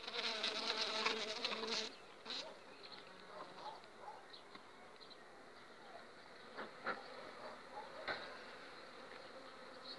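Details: Honey bees from an overwintered colony on five frames, two weeks before acacia bloom: a dense, steady buzz with a low humming tone for the first two seconds, then a softer hum broken by scattered clicks and knocks.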